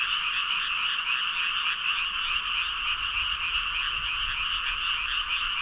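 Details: Roughly 5,000 frogs calling at once, a relentless layered croaking chorus with rapid rhythmic pulses fused into one steady bright wash of sound, a faint low rumble underneath.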